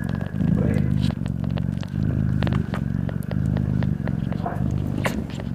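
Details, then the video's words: Loud, deep purr from a mother cat breastfeeding newborn kittens, rumbling in regular bursts about every three-quarters of a second with short gaps between breaths, plus faint scratchy rustling. "Mother cat breastfeeding her newborn kittens and purring loudly"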